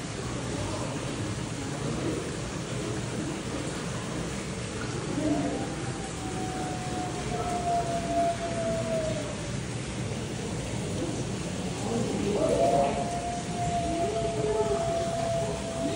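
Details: Arctic wolf Shinra at Nasu Animal Kingdom, 16 August 2024, howling back and forth with Sanna in a room; two long, steady, slightly falling howls around six and twelve seconds over a constant broad hiss.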